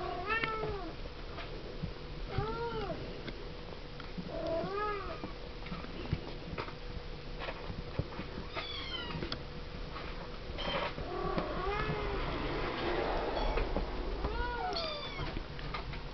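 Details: Siamese kittens aged seven weeks calling while they play in a pen: short, bent meows repeated every couple of seconds, several voices overlapping midway, over a steady low hum and light scuffling.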